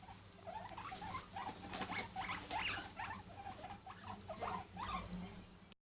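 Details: A pet guinea pig vocalising: quick, irregular squeaks and short chirping notes, about three a second, over rustling patter of movement.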